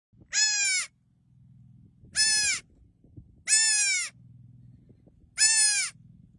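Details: Young goat bleating four times, each cry a harsh, buzzy half-second bleat with a slight downward bend, repeated roughly every one and a half seconds, with low rumbling background noise between cries.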